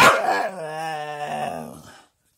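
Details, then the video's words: Staffordshire bull terrier giving a single two-second moaning vocalisation, starting with a sharp, loud onset and then holding a steady, harmonic, slightly wavering tone before fading. "Chatterbox Staffordshire bull terrier"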